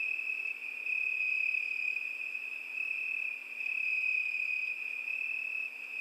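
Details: Crickets singing on a summer night: a steady, unbroken high trilling drone that barely changes in pitch, with a fainter higher chirring layered above it and a quiet background.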